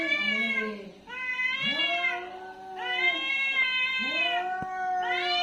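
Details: Fighting cat yowling angrily in near-continuous drawn-out wails, rich harsh harmonics, about four rising-then-level howls crowding into one another with barely a pause, a sharp click midway.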